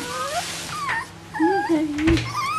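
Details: Young Bichon Frisé puppies from the O and P litters, kept at a kennel in Vejle, make overlapping high whines and lower moaning squeals. Bending, drawn-out notes come close together, with a brief knock near the end.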